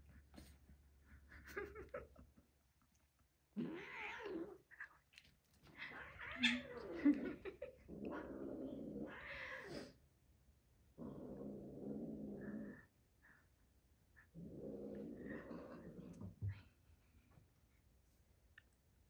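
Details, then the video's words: Frisky pet cats playing rough indoors; drawn-out growling yowls come in long blocks separated by short pauses, with a person's voice asking what they are doing. "When Cat is frisky?"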